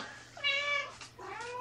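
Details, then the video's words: Indoor kitten from a shelter-rescued litter in Washington state: one drawn-out, tonal meow, then a shorter, softer second meow, with a faint steady hum behind. "Fantastical Kittens"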